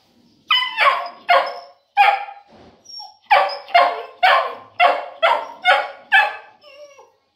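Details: Boerboel Cuddy barking steadily, about two loud, ringing, harmonic barks per second in a regular series after a brief pause, ending with a softer whine.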